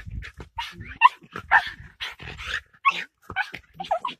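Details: Patterdale Terrier confronting a fox, giving a rapid jumble of short barks, yelps and whiny yips at varied pitch, tightly packed with no clear rhythm.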